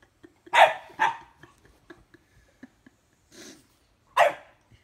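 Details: Two-year-old female French bulldog bickering with a four-month-old English bulldog puppy: two sharp, loud barks in quick succession, a few faint clicks and a muffled grumble, then one more loud bark near the end.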